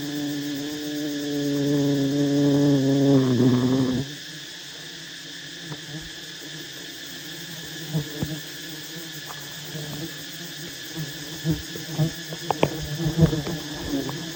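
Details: Honey bees swarming around a massive wild nest as honey hunters approach to take the honey. A deep, wavering drone holds for four seconds and then drops away, followed by a quieter hum broken by scattered knocks and clicks.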